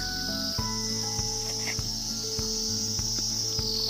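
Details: Cricket calling at Dawaipani, a cold, high-altitude village in Darjeeling district, North Bengal, India: a continuous, shrill high-pitched trill holds throughout, with background music and soft knocks underneath.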